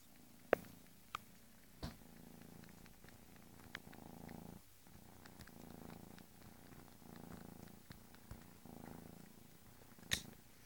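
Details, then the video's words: Bengal kitten's purr swelling and easing in regular breaths roughly every second, deep and rumbling, punctuated by several sharp clicks and taps. "Kotek Bengalski"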